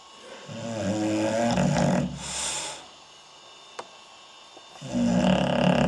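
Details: Bully, a sleeping English Bulldog, filmed with night vision, snores in two deep, rumbling bursts, the first lasting over a second and the second starting near the end, with a brief hiss and a small click in the quiet gap between them.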